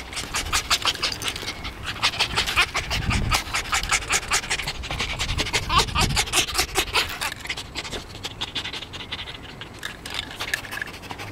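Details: Tame, very excited fox, always pleased to see its keeper, giving rapid, breathy panting bursts about two or three per second with low thumps and a few soft whines; a person speaks nearby.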